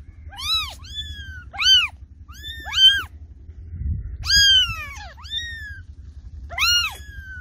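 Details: Cat giving a string of about six high, arched meows, each rising then falling in pitch, spaced roughly a second apart, over a low steady hum.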